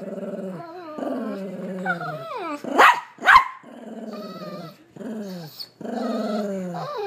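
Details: Frightened Bernedoodle dog reacting to a blind mini-poodle, giving drawn-out quavering whines with falling and rising pitch, broken by two loud sharp barks in the middle.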